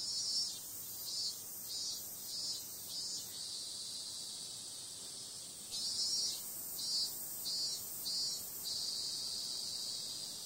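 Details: Cicadas calling through a summer night: a constant shrill hiss with series of loud, short pulses in two bursts of rapid repeats, separated by a quieter stretch of plain droning.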